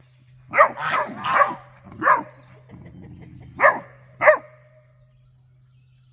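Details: Great Dane puppy barking at guard geese, scolding them over a suspected raccoon raiding the bird feeder; short sharp barks, some doubled, about six in six seconds, over a steady low hum.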